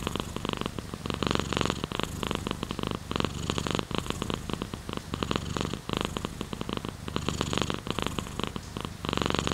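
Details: Domestic cat purring at close range, a rough low rumble broken into pulsed bursts that swell and fade about once a second with each breath, over a faint steady high hiss.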